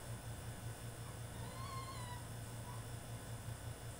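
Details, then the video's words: French Bulldog, male, having a tantrum while caged, gives one drawn-out, slightly wavering high whine followed by a faint short whimper, with a constant low hum underneath. "FRENCH BULLDOG THROWS TANTRUM IN HIS CAGE!!"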